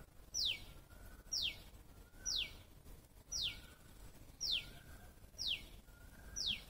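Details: Squirrel call: seven bright, steeply descending squeaks repeated at about one-second intervals, with a soft lower tone drifting between them and light background hum.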